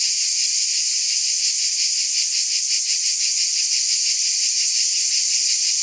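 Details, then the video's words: Steady shrill buzzing of cicadas, a hissing wall of sound that wavers slightly in gentle pulses roughly three per second, holding constant volume with nothing else audible. "Mmm! Scintillating Cicadas"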